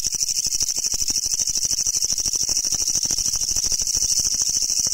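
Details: Japanese leaf katydid, a species found only in Japan, brown and green forms sought by collectors; loud continuous rasping shrill song of rapid regular pulses, about three per second, dense high-pitched buzz dominating throughout with no other sounds.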